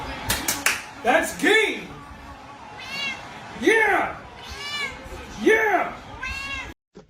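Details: Domestic cat giving four drawn-out meows, each rising then falling, spaced about every one and a half seconds, with a brief human voice and faint music underneath.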